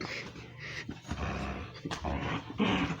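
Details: Pet dog indoors making weird noises its owner says he has never heard before: low rumbling growls with broad, noisy bursts and short whining tones, fairly quiet throughout.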